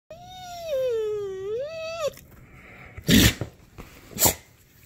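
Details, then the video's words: A young female dog, nearly one year old, whines when her owner stops petting her: one long drawn-out cry wavering down then up for about two seconds, followed by two sharp thumps. "Overly dramatic dog cries when I stop petting her."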